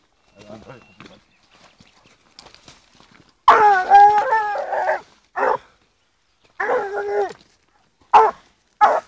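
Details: Blue female griffon hound, 14 months old, trailing wild boar outdoors; after a few soft spoken words, loud harmonic bays and drawn-out howling barks come in irregular bursts, the longest lasting over a second.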